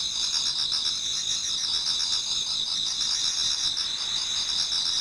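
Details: Many autumn insects singing in a Japanese garden toward dawn: a dense, unbroken chorus of high, shrill trills in two bright bands, rapidly pulsing and steady in loudness throughout, with no other voices or noises.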